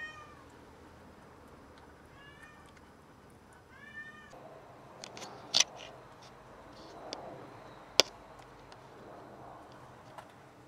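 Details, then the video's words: Having caught a rat, a house cat brings it over to show off, giving two short arched meows in quick succession, then sharp clicks, taps and rustling handling noises. "Cat caught a rat and brought it to brag about it!"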